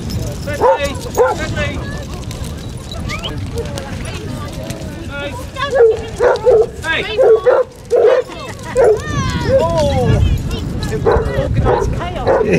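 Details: A pack of 24 Basset Hounds out on a five-mile beach walk at Burnham and Berrow, Somerset, in February 2014: irregular yelping barks and drawn-out bays from several dogs, mixed with human voices and beach noise.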